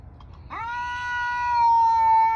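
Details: Outdoor male house cat yelling at a rival, which it never actually fights: after a quiet start, a sudden rising yowl settles into a steady, sustained, slowly swelling howl.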